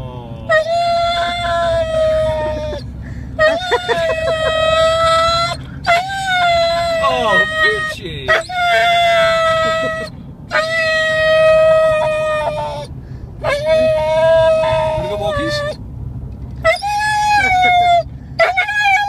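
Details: Huntaway named Aura, a female, wanting to go for a walk and play: long, steady, tonal whines and howls held for one to two seconds each, repeated in bursts with short pauses, some sliding and wavering at the ends.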